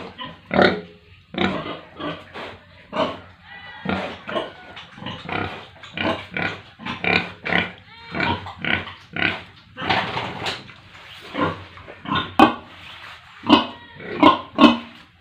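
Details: Pigs with piglets at a village pig farm in India, giving choppy, rasping grunts roughly once a second, irregular in spacing, mixed with a few sharper squeals from several animals.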